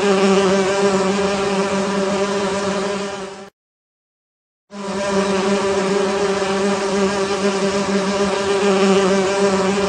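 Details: Honey bees in a beehive, a loud dense steady drone with a strong low hum and stacked overtones, broken by one abrupt second of silence midway.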